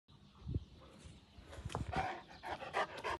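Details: Central Asian Shepherd Dog (Alabai) panting: quick breathy huffs that grow denser and louder in the second half, with a few soft low thumps early on.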